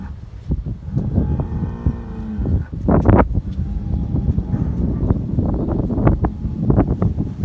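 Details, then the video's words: Fighting Hereford bulls on a dairy farm in New Zealand give a low, moaning bellow lasting about a second, followed by loud knocks, stamps and scraping as the animals clash. "Bulls Fighting Hereford"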